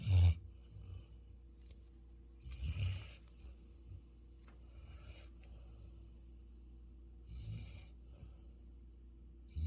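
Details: Futu the Labrador Retriever, a Jeju dog born 2020, dozing and snoring: a few low, throaty snores spaced several seconds apart, separated by long quiet stretches of steady background hum.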